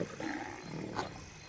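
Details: Mwamba pride lions feeding together on a single impala kill, with around twenty animals sharing the meal. Short, rough growling bursts rise over a low rumble, close and fairly quiet.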